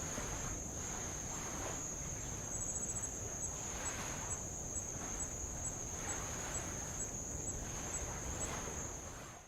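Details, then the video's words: Tongan insects at Avalau's old lava coast: a level, thin, high-pitched trill with brief ticking pulses partway through, over rhythmic soft wave washes; sound fades at the end. "sound of light Waves on old lava and Insects"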